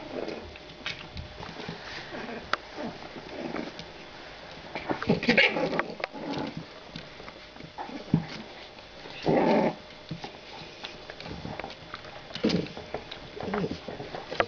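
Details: Two female French Bulldog puppies, 45 days old, born 23 December 2011, indoors; short low growly bursts between scuffling and sniffing, one longer rasping growl near the middle, soft human voice faintly in the background.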